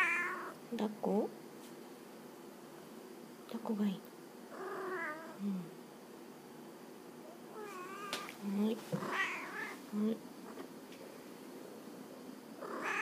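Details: Indoor Munchkin cat described as a talking cat, from Oita Prefecture, Japan, responding to its owner. Repeated wavering, nasal meows are scattered through the stretch, alternating with the owner's gentle Japanese speech.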